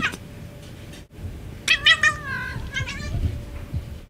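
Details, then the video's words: A domestic cat's so-called bark: one strained, stuttering call breaking into rapid choppy pulses, then fading into a few softer clipped notes, against low room noise and a steady electrical tone. "cat barking"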